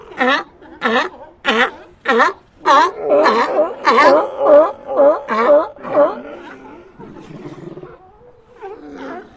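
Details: Sea lions in an ambient recording, a regular run of strong, harmonic barks about two per second for six seconds, then softer, drawn-out moans and a single late bark.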